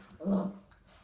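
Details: A Cavalier King Charles Spaniel playing with a KONG toy for the first time indoors lets out one short, gruff, low growl-like bark, a "roar".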